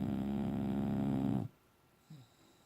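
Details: Boxer dog Bella, asleep and dreaming, lets out a long vibrating snore for roughly 1.4 seconds that cuts off abruptly, followed by quiet and a brief faint low sound.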